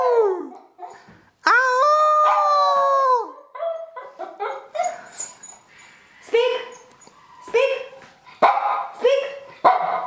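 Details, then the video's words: Puppy howls on command: a long, loud, even-pitched howl lasting nearly two seconds, then a run of shorter rising and falling yowls and yips mixed with a person's voice urging it on. "How To Make my Dog Howl Puppy's cute howling"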